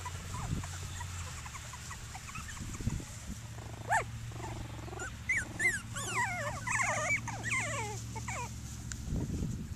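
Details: Seven Cockapoo puppies at play outdoors at Denning Farms give a run of thin, high squeaky whines and yelps in the second half. Low thumps, rustling and a steady hum sit underneath.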